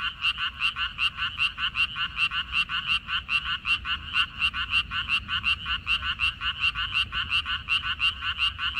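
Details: Frogs calling from a water dropwort field on 14 May 2021. Loud, clipped croaks repeat about three times a second, slightly uneven, as neighbouring callers overlap. A quiet low-pitched background runs underneath.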